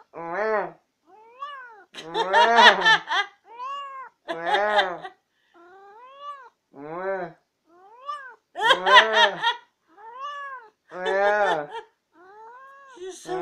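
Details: Chatterbox cat Tammy keeps answering back with loud, curved meows, some strained and harsh, in rapid alternation with a lower voice and a bit of laughter. The exchange continues as she refuses to let anyone else have the last word.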